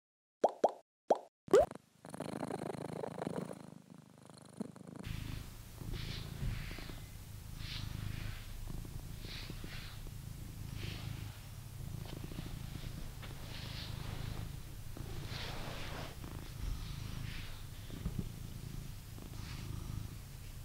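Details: Blue British Shorthair cat in a home in England purring steadily as a low, rumbling drone, preceded by a few sharp tapping plops and brief silence in the opening seconds, with faint rustling and handling noises over the purr.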